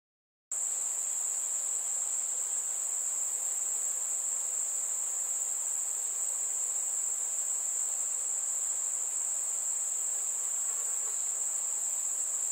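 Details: Crickets on a warm summer night with fireflies, producing an unbroken, very high, even trill that holds steady throughout after a brief silent start. Little else is audible.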